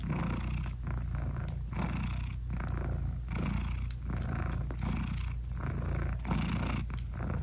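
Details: Purring from a British Shorthair mother cat lying with her tiny nursing kittens, eyes still shut; an even, low vibrating drone pulsing with her breathing about every second, recorded close up indoors without music.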